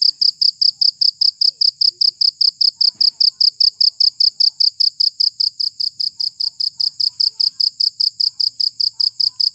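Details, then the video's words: Cricket sound used to drive rats away: a continuous, very regular train of high, shrill pulses, roughly four every second, about forty in all, with no other clear sounds. "Suara Jangkrik Pengusir Tikus"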